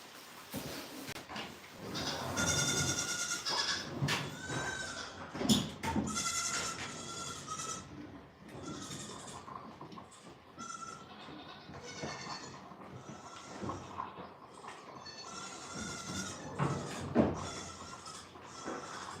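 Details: Goats at The Willful Goat Farm & Home, around bottle-feeding time, bleat repeatedly in wavering, nasal, harmonic-rich calls of a second or so, with soft background music and a voice between calls.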